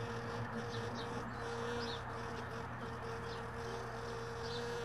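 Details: Early-morning honey bees at hive boxes that sat in a truck bed all day: an even, continuous buzzing hum with short breaks, faint high bird chirps scattered through, and a low background drone.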